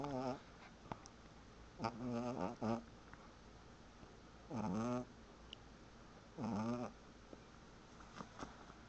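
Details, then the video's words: Snoring from a sleeping dog: a quick series of rasping, harmonic snores, some broken into short pairs, followed by two longer ones spaced nearly two seconds apart, in a quiet room. "The Cutest Dog Snoring"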